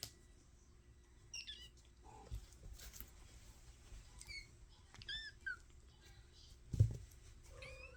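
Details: Five-week-old kittens of a mother cat named Mashka meowing indoors: several short, thin arched mews, some rising then falling, scattered across the stretch with brief pauses, plus faint household rustling and thumps.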